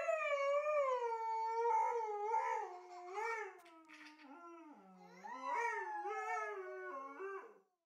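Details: Pet husky vocalizing in a drawn-out, yodeling howl. The pitch wavers up and down in rich, tonal notes, dips lower midway, then rises again in short warbling phrases before trailing off, with no other clear sounds.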